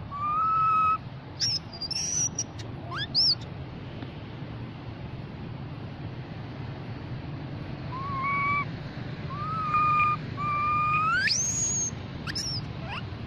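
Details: A baby mona monkey calls to its group with thin, drawn-out whistled calls, some ending in a sharp upward sweep.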